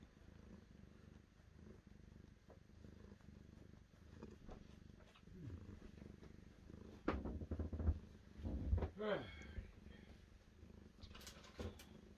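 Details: Domestic cat purring, a low steady rumble that swells louder around the middle, with a short rising voice-like sweep and a few sharp clicks toward the end.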